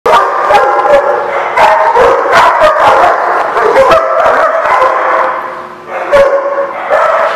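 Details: Dogs recorded on 16 May 2016, several barking at once in a dense, overlapping chorus of sharp harmonic barks and yips, nearly continuous with only one brief lull near the six-second mark.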